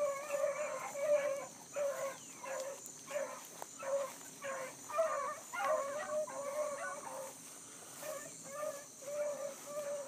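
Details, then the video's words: ['Bluetick coonhounds hard on a running rabbit early one July morning in 2012, a new pup along; steady chop of loud, ringing bays, roughly one or two per second, voices overlapping in a rhythmic chorus.'] "THE BLUE'S ON A BIG RUNNING RABBIT"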